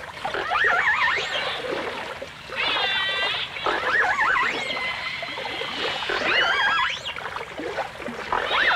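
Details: Dolphins and orcas in a 1989 Full Dimensional Stereo recording of dolphin song: high, wavy whistles rise and fall in quick loops. Several voices overlap, with longer harmonic tones and watery clicks and splashes in between.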